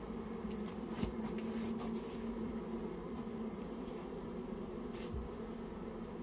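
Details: Japanese honey bee colony that built its nest inside a storehouse, being removed: a steady, dense low buzzing hum of many bees, with a few faint clicks and taps.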